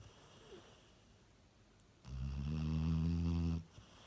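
A Cocker Spaniel gives one deep, rumbling snore, low and buzzy, lasting about a second and a half.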